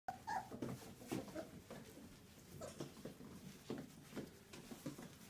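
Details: Border Collie puppies indoors, giving a brief high whine near the start, then quieter soft whimpering mixed with frequent shuffling, tapping and scratching noises in a small room.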